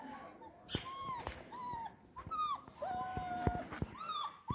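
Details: Single-coat German Shepherd dog whining: repeated short high whimpers, some bending up and down, over low speech and background noise with sharp clicks.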